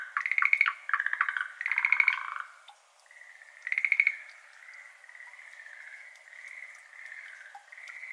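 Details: Japan-endemic Schlegel's green tree frogs in a water-filled iris garden on a May evening, 6:53 pm, 17 May 2022, ambisonic binaural recording; loud rattling pulse bursts for four seconds, then a softer, continuous trilling chorus farther off.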